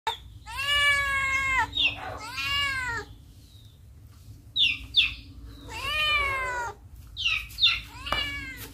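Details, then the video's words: Cat in a village meowing repeatedly: long, loud, harmonic-rich meows that rise then fall, several drawn-out cries followed by shorter, higher squeaky calls, over a steady low background hum. "Cat Meowing Sound At Village"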